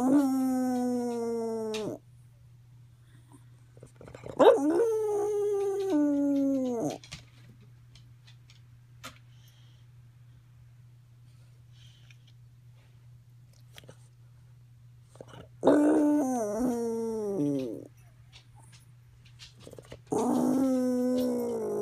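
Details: Pet dog named Roo howling in a strange, singing way after her medication was increased; three drawn-out harmonic wails, each about two to three seconds, sliding downward, separated by quiet gaps with a steady low hum.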